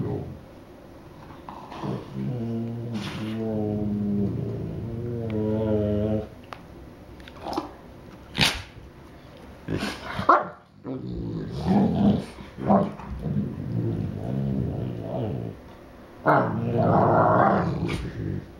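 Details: Two Newfoundland dogs, brothers, in a back-and-forth vocal exchange indoors: a drawn-out harmonic groaning howl early, then varied grumbles, short barks and moaning vocalizations trading back and forth.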